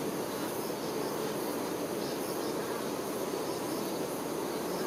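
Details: A dense, steady hum of many honey bee workers tending queen bees, a low drone with a fizzy texture.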